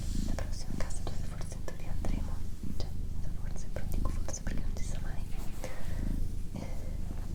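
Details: Doroti, a female house cat, purrs in a low continuous rumble pulsing with her breathing, under gentle whispered speech and occasional soft clicks.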